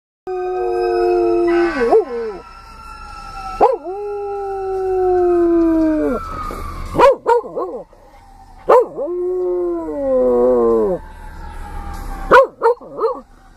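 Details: Domestic dog howling in long, drawn-out, wavering tones that slide down at the ends, several howls broken by short yelping bursts, with a faint steady high tone underneath.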